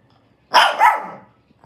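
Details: A bald Shih Tzu gives a sharp, high double bark, the second note briefly rising.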